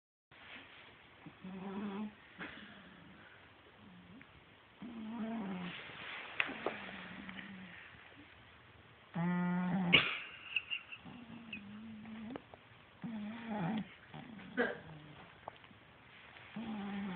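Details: Pet cat caught snoring, recorded on a phone: repeated soft, buzzy, rumbling snores in irregular bursts of a second or two, with one louder harsher breath near ten seconds.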